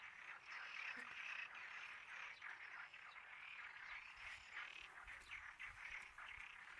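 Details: Numerous frogs croaking at once in a fast, continuous chorus, overlapping calls pulsing irregularly at about three per second.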